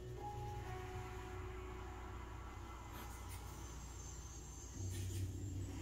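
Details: A steady low rumble like a passing vehicle or train fills the recording, with faint tonal hum above it. No animal voice stands out.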